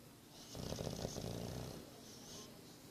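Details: Nine-month-old English Bulldog Boris asleep and snoring, a buzzy vibrating intake of breath for over a second, then a quieter airy hiss as he breathes out, in a quiet room.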